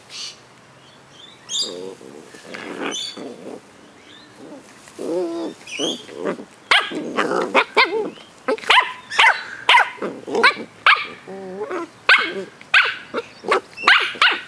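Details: Two 10-week-old Cardigan Welsh Corgi puppies, brother and sister, in Adelaide, South Australia, yip, whine and give short, high barks in quick bursts.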